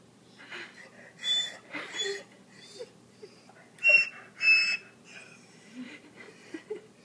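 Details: Whimpering corgi Tommy, frustrated with a treat he wants to bury, lets out high, thin whistling whines in uneven bursts roughly every half second, mixed with breathy wheezes indoors.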